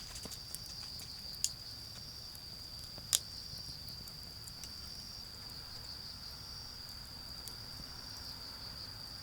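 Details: A garden in autumn where insects keep up an unbroken high-pitched trill while a bonfire pops with a few sharp crackles, and faint traffic hums low in the distance.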